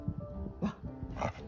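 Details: A Border Collie, after a month of practice at switching between loud and small voices, gives soft, short, muffled woofs when asked for a small voice, over background music and a woman's voice.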